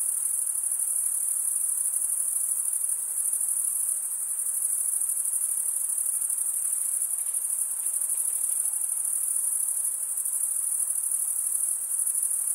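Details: Crickets chirping, males stridulating by rubbing one wing across the toothed vein of the other; a steady, high, shrill trill holds unbroken throughout, thick with overlapping pulses, with no other animals, voices or music.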